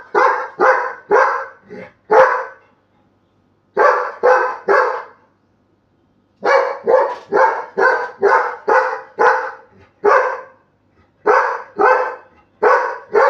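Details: Labrador Retriever puppy prompted to bark into a sleeping person's ear; rapid bursts of short, sharp barks in clusters of three to nine, separated by brief pauses, with a woman coaxing in Bengali.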